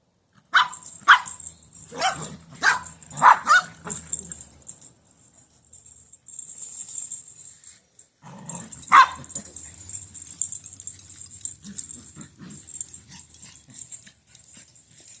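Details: Several Chihuahuas playing together outdoors on a sunny day: a quick run of sharp, high barks and yips over the first four seconds, one more loud bark near nine seconds, then softer yelps, over a steady high hiss.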